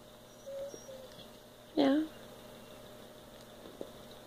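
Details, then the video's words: Zara, a pet cat lounging on a couch indoors, gives one short, sharp mew that drops slightly in pitch, with faint scattered shuffling and quiet room tone around it. "Zara cries for pets?"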